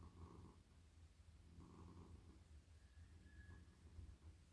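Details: Friendly, very soft male domestic cat purring while being stroked on the head and neck in a lap; low rumbling purr swelling and fading with each breath, about every one and a half seconds, with faint brief higher tones near the end.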